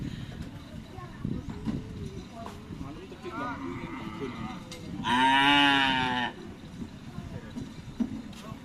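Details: Cattle at a karapan sapi (bull racing) training session at the Asemanis field in Pamekasan; a single loud, drawn-out, richly harmonic moo lasting about a second near the middle, over steady crowd chatter and background bustle.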